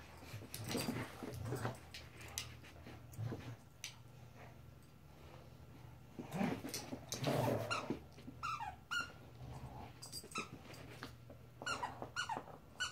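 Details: Indoor play from Marvel, a puppy of 14 weeks: low throaty growls and huffs, then a run of short high squeaky whines toward the end, with thumps and rustling in a small room.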